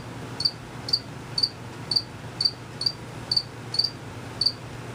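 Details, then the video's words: Unseen crickets chirping, made by males rapidly moving their wings; bright high pulses sound roughly every half second, nine in five seconds, with a faint low background hum. "Cricket Chirping for 5 minutes."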